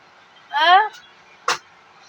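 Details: Pet cat called Beemo gives a single short meow, a rising then falling harmonic cry lasting under half a second, followed by a sharp click; quiet room background.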